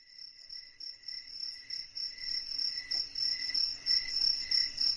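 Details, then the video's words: Crickets at night in a quiet, dark setting: a steady high ringing trill pulsing in short rapid bursts, roughly three per second, with a faint low rumble beneath. "SUARA JANGKRIK MERDU DI MALAM HARI"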